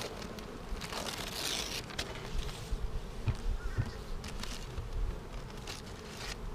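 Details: Many honey bees droning in a hive being inspected on March 10, 2019, a week after a vertical split made with a double screen divider board; a dense low buzz broken by repeated sharp taps and rustling of frames.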